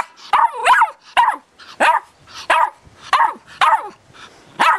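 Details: At eight weeks old, Irish Terrier puppy Tara barks while being filmed, each bark a high, slightly whining yelp with a rising-falling inflection, about eight in under five seconds.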